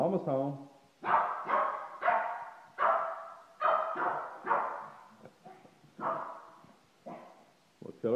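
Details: Excited Shih Tzu barking over and over, roughly one bark per second, uneven and slightly yelping, with some softer yips between the louder barks.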